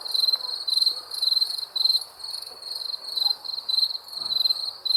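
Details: Crickets at night giving short shrill buzzy chirps in a regular rhythm, around two each second, clear against a quiet background.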